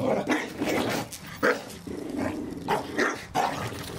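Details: Staffordshire Bull Terriers romping in a garden with a Christmas ball; quick rough barks and growly yaps, about seven bursts in four seconds, over a low continuous growl.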